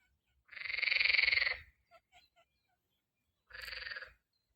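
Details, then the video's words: A frog in spring croaks twice, a long buzzy pulsed rasp followed after a pause by a shorter one, with a few tiny clicks between. "Так кричит лягушка!"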